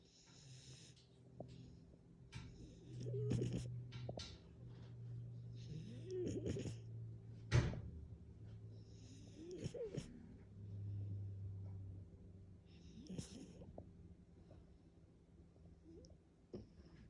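A French Bulldog snores while asleep, with low rumbling breaths and wheezy snorts.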